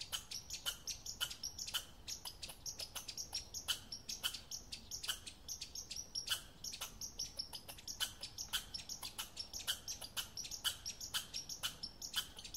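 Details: An American red squirrel gives a steady stream of hard, percussive chips, roughly three each second, evenly spaced and dry-sounding throughout.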